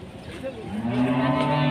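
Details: A raging cow, loose and chasing residents until they tumble, lets out a deep moo with rich harmonics. It rises, then holds loud and steady for about a second over a faint background murmur.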